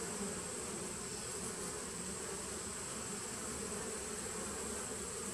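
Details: Continuous dense buzzing from honey bees in a nucleus colony, recorded 19 September 2018, the low drone steady from start to finish.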